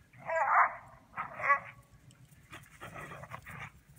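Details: Two Border Collies playing outdoors in the snow; one gives two loud, strained whining yelps about a second apart, followed by softer, rougher grumbling bursts over a low rumbling background.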